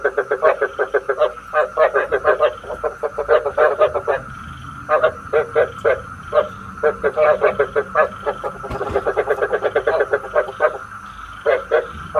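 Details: Decoy frog call played to lure frogs into night traps: long dense trains of rapid, rattling croaks, each run of several seconds broken by short gaps, with a thin constant hum beneath.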